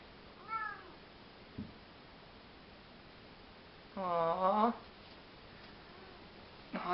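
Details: A Maine Coon cat rolling around gives a short soft mew, then a longer, wavering meow that climbs in pitch as it asks to be fed, while a person's voice murmurs quietly nearby.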